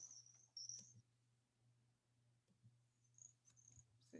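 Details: Little grass frog (Pseudacris ocularis) of the coastal plain calls: very high, thin, tinkling, insect-like trills that seem to wind up, over a low hum.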